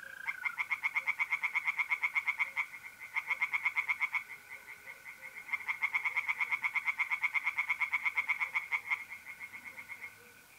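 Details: Tree frogs sing from a pond at night in mid-April in north-east Italy. Rapid, loud, rasping pulsed croaks run in long bursts with short breaks between them, over the steady high trill of mole crickets.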